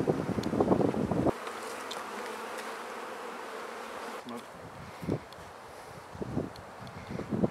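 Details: Honey bees at new beehives being set up and fed: a steady low droning hum of many bees fills the middle stretch, framed by rustling, bumps and handling noise at the start and end, with a touch of wind.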